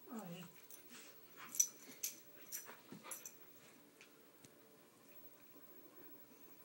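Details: Churchill, a 16-week-old puppy, and Sofia, aged 6, playing; a short falling whine opens, followed by sharp breathy huffs and snorts, then quieter rustling.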